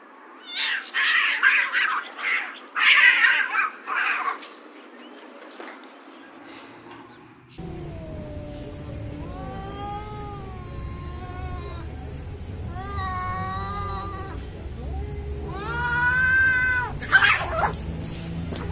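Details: Domestic cats fighting and defending their territory: harsh, noisy hissing bursts at first, then after a cut, long wavering yowls that rise and fall in drawn-out howling waves over a low steady hum.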